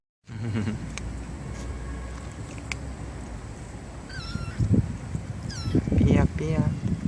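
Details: Stray kittens, a litter of four born to a young white mother in a residential area by a bus terminal, give high, thin meows with rising-falling harmonics, two or three close together near the end, over a steady low rumble and voices.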